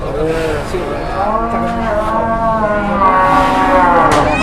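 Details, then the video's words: Masked cattle unloading from a truck in Indonesia: a lowing moo with wavering stacked tones, overlapping people's voices and background bustle. "SAPI BERTOPENG DATANG TURUN DARI TRUK"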